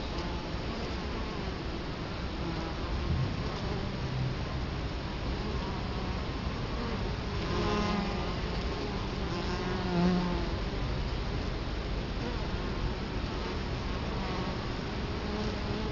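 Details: Italian honey bees at their hive entrance in Colorado Springs, October 2011, camera right at the hive: thick continuous buzzing, with individual bees flying close past at about eight and ten seconds, their drones briefly rising and falling.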